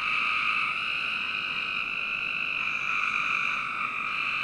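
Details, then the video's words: Frogs on a summer night in a home backyard in Northern Virginia, heard as one unbroken, high, buzzing trill that stays at a nearly even loudness for over four seconds. "Frog Night 1"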